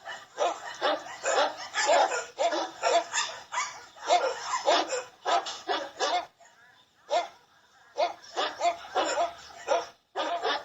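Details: Barking dogs: a dense run of loud, rough barks coming fast and unevenly for about six seconds, a short pause, then more barks in uneven clusters to the end.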